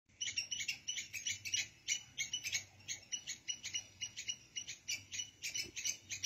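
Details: A squirrel squeaking without pause while red ants march out of their nest carrying food and eggs: sharp, high chirping squeaks repeated about three times a second in a steady, insistent run.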